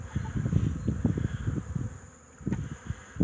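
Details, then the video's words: Honey bees at an apiary on 8 March 2015, returning loaded with pollen after winter. Many short low buzzing bursts as bees fly past in quick succession, then a brief lull before more passes. "Pszczoły 8 marca 2015 -dziewczyny gonią"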